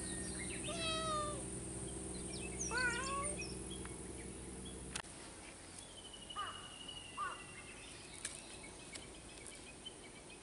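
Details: Two cats call to each other but cannot be together; a few wavering, rising-then-falling meows come early over a steady low hum, then quieter scattered sounds and faint chirps follow.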